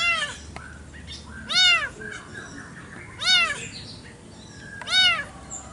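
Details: Kampung cats clash over territory in a garden in the morning: strident arched yowls repeat about every one and a half seconds, regular and piercing, over quiet background noise.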